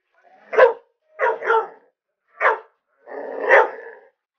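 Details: Domestic dog barking excitedly at an alligator head: four short, sharp barks spaced under a second apart, the last one longer and harsher, with no other sounds.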